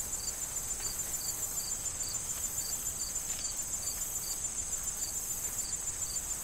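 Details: Autumn corn field crickets chirping in an even rhythm, crisp high pulses about three per second above a continuous shrill insect drone, soft wind and rustling stalks below.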